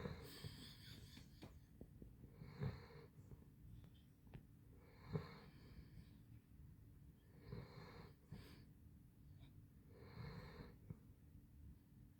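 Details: Handsome Jack, a sleeping Basset Hound, snoring indoors: deep, rasping snores with a wheezy hiss, repeating about every two and a half seconds, five breaths across the stretch.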